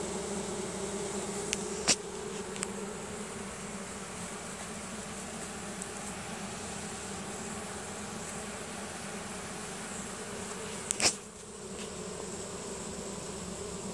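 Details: Honey bee swarm marching into its new hive, the bees releasing nasanov pheromone to draw the rest inside; a steady, dense low hum with layered bands throughout, broken by two brief sharp clicks.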